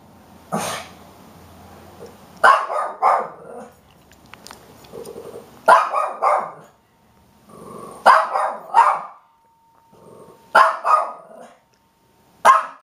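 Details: Bandit, a pet dog, gives sharp barks in clusters of two or three, spaced roughly every two to three seconds, with quieter low growly sounds and a faint hum in the gaps.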